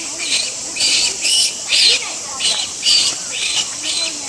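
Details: Infant Japanese macaque at Ueno Zoo, 23 August 2014, crying while clinging to its mother as she stops grooming and moves away. Harsh, squawky bursts come roughly once a second over a steady high insect drone.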